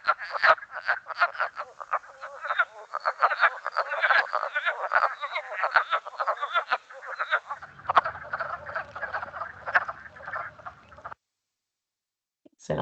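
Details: Wood Frog, heard regularly at this time of year, giving duck-like calls: rapid, rough clucking notes overlapping in a busy chorus for about eleven seconds, with a low hum entering near the end before silence.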